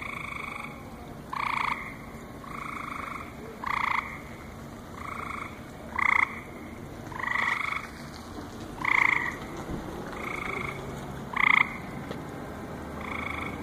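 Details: Night chorus at a lily pond at the Cranbrook Institute of Science, July 7, 2014: about ten honking, twangy croaks, one every second or so. Louder and softer calls alternate, suggesting more than one frog.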